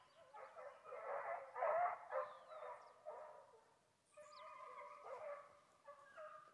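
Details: Foxhounds chasing wild boar on a hillside in Brazil, several dogs baying together in loud pulsing bursts, then steadier drawn-out howls in the latter part, with a bird call faintly above.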